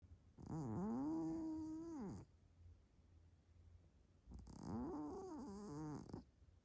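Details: Big Maine Coon cat snoring very loudly in its sleep, like a locomotive: two long, droning breaths with a steady low humming tone and a hissing edge, separated by a quiet pause of about two seconds.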